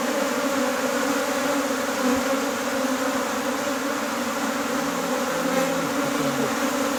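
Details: Steady, dense hum of many honey bees in Nepal while a beehive is split, a low droning buzz that holds level throughout with a brighter hiss above.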